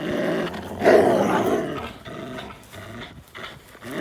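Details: Play between Linus, an American Pit Bull Terrier, and Buddy, a blue Belgian Malinois cross, recorded April 1, 2019; one loud, harsh growl peaks near the first second, followed by quieter rasping sounds and scuffles.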